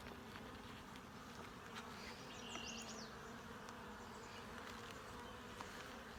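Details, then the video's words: Honey bees at an open hive during a full inspection for eggs, larvae and capped brood: a steady, low droning hum of many bees that stays even throughout, with faint scattered higher buzzes and light handling noise. "Honey Bee hive inspection"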